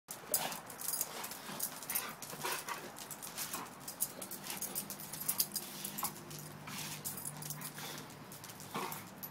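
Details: Two dogs, a Pitbull and a German Shepherd, playing and having fun: low, steady growling rumbles run through much of the stretch, broken by scuffling, panting-like bursts and rustling noise.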